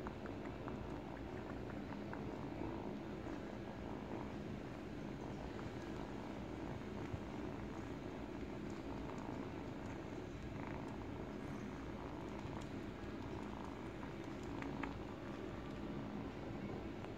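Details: Continuous deep, even purring from an 8-week-old kitten chewing on a baby blanket as its teeth come in, with scattered small ticking and rustling sounds from the fabric over the steady rumble.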